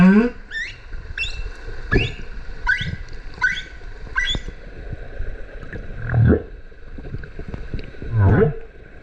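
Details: Humpback whales singing in the sea off Okinawa's Kerama Islands during the winter breeding season, a mother and calf: quick upward-sweeping squeaks repeated rapidly, then two low rumbling rising moans.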